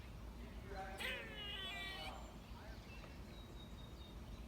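A squirrel gives a single drawn-out, cat-like mew lasting about a second.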